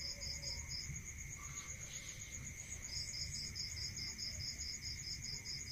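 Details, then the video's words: Crickets at night in a rural area: rapid pulsed chirps over a continuous high trill, breaking off briefly then resuming in a quick regular series, with a steady lower tone behind. "Listening to Cricket Sound Natural meditation music"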